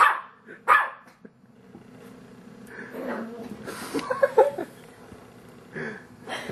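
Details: Dog confronting his reflection as though it were a rival dog: two sharp opening barks, then low grumbling huffs and muffled growls mixed with a person's encouraging voice, ending in another bark.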